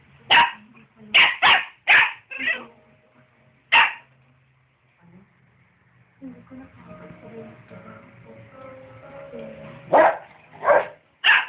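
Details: A rottweiler and a dachshund bark at each other in bursts of short, sharp barks. A quieter gap follows, then background music, then more barks near the end.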